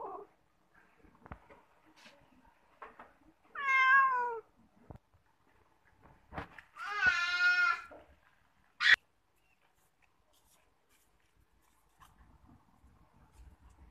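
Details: A domestic cat fond of bathing lets out two meows, one short and wavering, one longer and trembling, with a sharp sudden squeal after, among light knocks and rustles in a quiet room.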